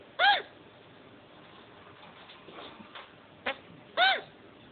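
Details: Male chinchilla that has just mated, hiccuping twice: short bright squeaks, curved in pitch with clear overtones, about four seconds apart, with faint rustling and a click between them indoors.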